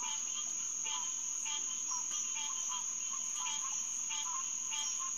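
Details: Green tree frogs (Hyla cinerea) in a night chorus at Headquarters Pond, SMNWR, around 9:10 pm on June 2, 2021: nasal, honking notes repeated irregularly about twice a second by overlapping callers, over a steady high-pitched insect drone.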